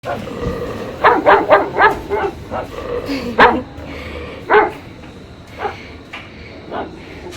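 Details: Belgian Malinois x German Shepherd puppies on vaccine day give sharp, high yappy barks, a quick cluster of four or five early on, then single barks roughly every second, while a person talks and gives commands.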